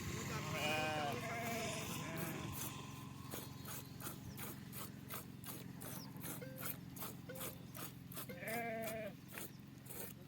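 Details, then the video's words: Sheep being milked bleats in short wavering bursts near the start and again near the end, over a fast, regular clicking rattle and background voices. "గొర్రెల పాలు ఎలా పిండాలో తెలుసుకోండి"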